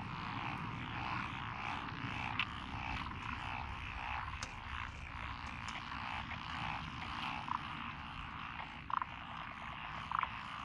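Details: Frogs calling in lotus rice paddies beside a rural road in Echizen, Fukui Prefecture, Japan, 12 June 2021; a dense, continuous croaking chorus with sharper clicks near 2.4, 9 and 10 seconds over a low rumble.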